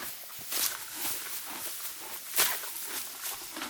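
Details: Morgan horse mare cropping deep spring grass; brief crisp ripping and chewing crunches, two louder tearing bursts among steady soft munching.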